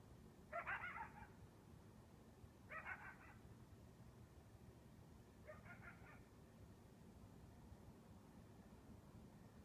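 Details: A lone coyote gives three separate yelping bursts at 2 am on a balmy summer night without wind, each wavering and harmonic, two seconds apart and fading in strength, set against a low, steady rumble.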